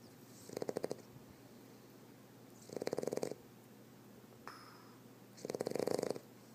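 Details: A male Boston Terrier snoring with his eyes open gives deep, rattling snores, each a coarse fluttering rasp about half a second long, repeating every two to three seconds, with a faint brief squeak between two.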